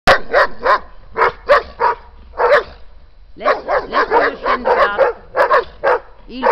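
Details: A German Shepherd in its garden barks in sharp, harsh bursts, defending its territory and food against two Belgian Shepherds, yet backing off; Siena, Italy, November 2011.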